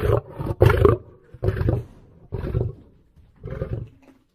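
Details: Lion giving four short, rough, growling roars about a second apart, each low and throaty with a harsh broadband edge, separated by brief silences.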